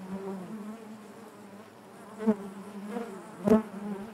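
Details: Honey bees buzzing inside their hive, a steady low hum with overtones stacked above it, broken by two louder buzzes as bees pass close, near the two-and-a-quarter and three-and-a-half second marks.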